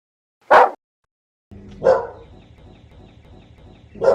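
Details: Dog barking from a compilation of assorted breeds, big and small; a few loud, short barks separated by gaps, over a rumbling background noise in the second half.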